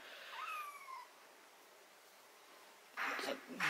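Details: Cat having botfly larvae, ringworm, fungus and blackheads removed from its skin gives one short meow that slides downward, followed by sharp rustling and handling noises.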